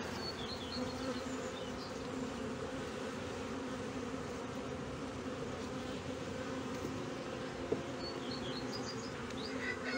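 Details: Ten seconds of continuous honey bee hum at a hive in Brno, 2022, following discovery of a chewed-open inserted queen cell; dense low drone throughout, with scattered faint bird chirps at the start and end.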